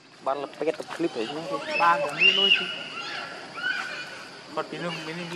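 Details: Baby monkey Lucie crying as it begs its mother for milk and is refused; high, wavering squealed cries that rise and fall in short bursts over a steady background hiss.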